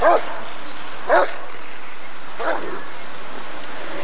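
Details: Rottweiler at the 1994 ADRK Körung breed survey giving three short, sharp barks roughly a second apart, the last one softer, followed by quiet with a low background hiss.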